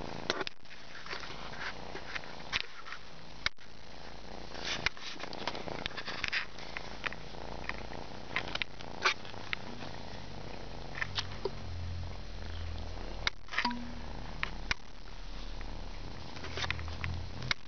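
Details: Kitten yawning and purring indoors: a steady low rumble runs throughout, broken by occasional soft clicks, sniffs and rustles.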